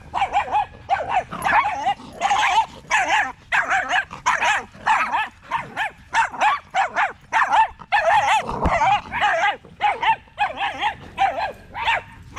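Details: Several male Staffordshire Bull Terriers in a park on a long evening, chattering together as a pack: dense overlapping yips and barks, loud and rapid, with barely a pause across the whole stretch.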